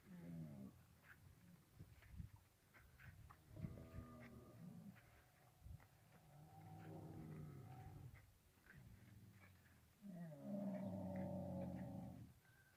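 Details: Camel with its calf, calling in a series of low, harmonic moans and groans. The final call, near the end, is a louder, sustained bellow. Faint voices and rustling are in the background.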